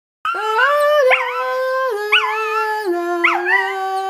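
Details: Dog howling along to the song Auld Lang Syne: long, sustained tones that hold steady, then rise and waver at the end of each phrase, in three linked notes, each stepping slightly lower in pitch.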